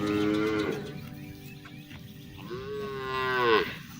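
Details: Cows being herded through the countryside toward the barn call their companions home with two moos, a short falling one and then a longer one that rises and swells, over a soft musical backdrop.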